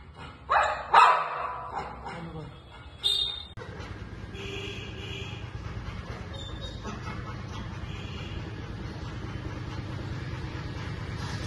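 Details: Female German Shepherd puppies give a few short, sharp barks and yips in the first three seconds, then a steady droning background noise fills the rest.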